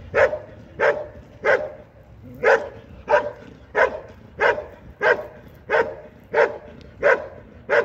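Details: Belgian Malinois barking during an IPG 2 regional competition at Sin le Noble, France, in 2023: a regular series of strong, clipped barks spaced about two-thirds of a second apart.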